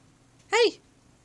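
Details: Shanuk, a Husky, wanting to go upstairs: one short, clear, rising-then-falling whining vocal with rich harmonics, under half a second, in a quiet indoor room with a faint low hum.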